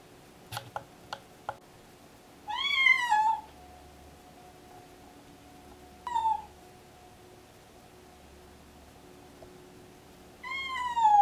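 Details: Pregnant deaf domestic cat in pre-labour, excited and meowing constantly: three harmonic-rich meows, a long one falling in pitch near 2.5 seconds, a short one at 6 seconds, another at 10.5 seconds, after a few sharp clicks early on; quiet indoor hum.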